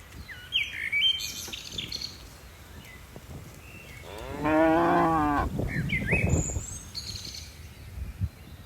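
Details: Tame cattle from a herd of dozens leaping down a hillside on a mountain slope: one deep, drawn-out moo lasting just over a second midway, framed by scattered high bird chirps and faint rustling.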